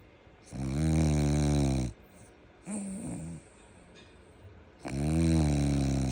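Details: Sleeping French Bulldog snoring: deep, buzzy, drawn-out snores a second or more long, with a shorter snuffling breath between two of them, in a quiet room.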